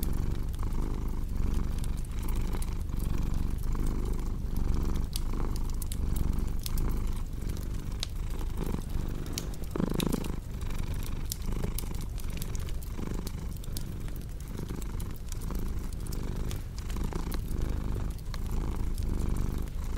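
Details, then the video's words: Cat purr as a continuous low throbbing drone rising and falling about forty times a minute with its breathing, mixed with a cozy crackling fireplace that snaps and pops throughout. "Purring Cat"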